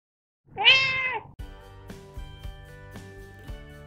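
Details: Seven-year-old long-haired Persian Chinchilla cat, born 14 March 2010, coat trimmed short for summer, giving a single loud, clear meow that rises and falls over about half a second, followed by soft background music.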